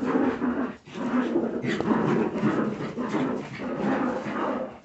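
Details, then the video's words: A group of Jagdterrier puppies growling and squealing close together, a steady rough chorus with one sharp yelp midway. "filhotes de jagdterrier"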